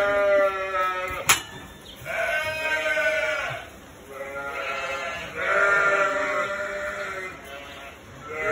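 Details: Sheep and their two-week-old lambs calling loudly in a barn while people are inside: repeated tremulous bleats roughly every two to three seconds from several animals, with a sharp knock near the start.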